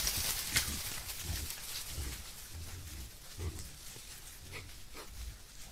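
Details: A herd of wild boar (Sus scrofa) foraging for food, filmed by a camera trap in Italy's Foreste Casentinesi National Park, gives low, soft grunts about one a second over rustling and wind.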